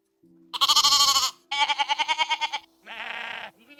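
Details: Sheep of a field flock giving three quick, tremulous, pulsing bleats back to back, with a faint steady low tone running underneath.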